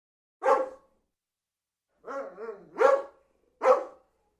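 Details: Dog barking: a single sharp bark, then a longer, wavering bark that slides down into a low moan, followed by two more abrupt barks, each short and harsh, against a silent background.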